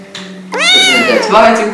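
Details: Kitten giving a single high, drawn-out meow that rises and then falls, with rich harmonics, after a moment of quiet indoor background.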